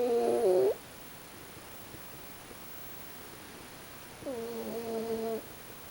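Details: Pochi, a sleeping raccoon dog, snores twice, about four seconds apart. Each snore is a humming, whistle-like tone with steady overtones lasting roughly a second, and the second is softer. The background is quiet.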